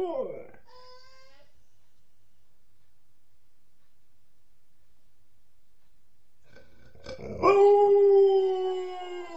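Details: Alaskan Malamute Nukka, a female, howling while apparently missing her mum: a falling howl tail at the start, a long silence, then a loud steady drawn-out howl.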